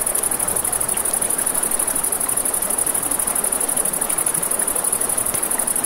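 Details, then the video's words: Crickets at night by a river: a steady, very high, fast-pulsing trill runs without a break beside crackling campfire flames and the broad rush of flowing water. "Campfire by the River at Night Ambience | 1 Hour of Crackling Fire, Crickets, Ambient Nature Sounds"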